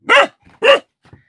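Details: A Central Asian Shepherd (Alabai) puppy, recorded 28 January 2018, whose voice has just appeared, listens to itself while giving two high, yappy barks about half a second apart.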